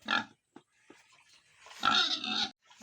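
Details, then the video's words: A short squeal from ten-day-old farm piglets in Tripura, followed after a pause by a longer, harsh, tonal squeal lasting under a second. "After 10 days piglet"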